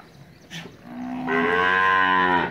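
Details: Pure white Cholistani bull at a Pakistani cattle farm gives a single moo that starts low and quiet, then swells into a loud, steady, rich-toned bellow lasting over a second.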